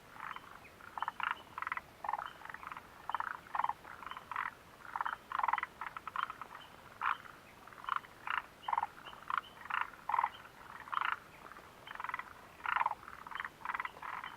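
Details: Frogs calling near the Mitsuishi mountain refuge hut on 29 June 2013, short clucking croaks repeated rapidly in overlapping bursts about every half second, a steady chorus throughout with no other clear sounds.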